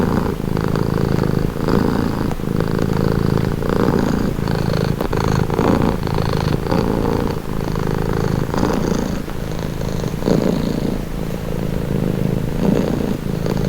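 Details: Domestic cat purring steadily at close range, a low rumbling drone pulsing in alternating inhale and exhale phases roughly every second, continuous throughout with no other sounds.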